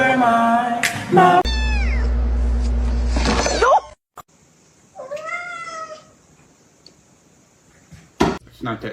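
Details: A domestic cat gives a short meow that rises then falls, heard after a stretch of human voices and loud background noise; a sharp knock and more speech come near the end.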